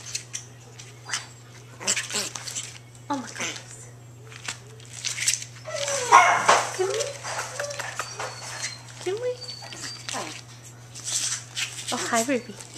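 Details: Two female long-coat Chihuahua puppies, Emerald and Ruby, playing together indoors; short high yips and small sliding whines come in scattered bursts, with a woman talking to them and soft clicks and rustles throughout.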